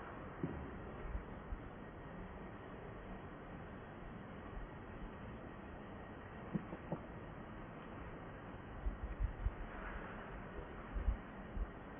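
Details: Muffled low rumble with a few soft thumps and knocks, and no animal call.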